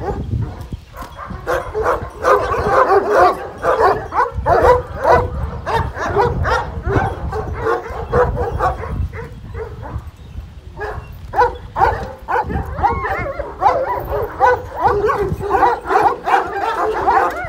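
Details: Chorus of Kangal shepherd dogs, the so-called golden Kangal, barking and yelping over and over for seventeen seconds. Short bright calls pile on top of each other, with low rumbling background noise throughout.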